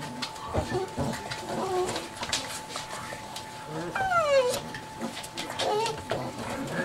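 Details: A group of chocolate Lab puppies, seven weeks old, in boisterous play: short squeaky yelps, then one clear whine that slides downward, with further shrill cries later amid scrabbling noise and a constant low tone.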